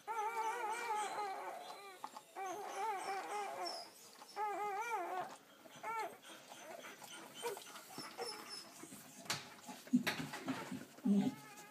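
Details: A litter of nine day-old Belgian Malinois puppies, about ten hours after birth and nursing, give repeated quavering whimpers in short bursts of two seconds or less, several pups crying together, with a few knocks near the end.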